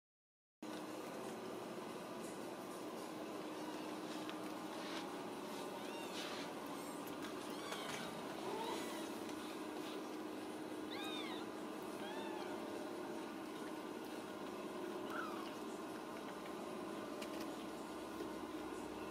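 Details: Several Ragdoll kittens raised in a home cattery in central Kansas mew at supper time: many short, thin, arching cries overlap across the clip against a steady hum and hiss.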